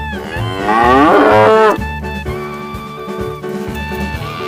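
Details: Tame cows herded during the day give a loud, drawn-out moo lasting about a second, then fade out, while steady jazzy music with brass plays throughout.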